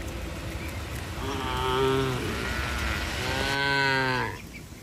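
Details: Tame cattle running to their barn in the rain: two long, full-bodied moos in succession, each about a second, the second rising slightly and ending abruptly, with steady background noise.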